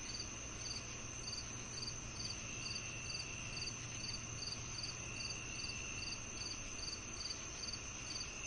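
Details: Chirping crickets heard with cicadas as soothing tinnitus sound: brisk high chirps repeat steadily a little over twice per second over a constant shrill droning hum and faint low background noise.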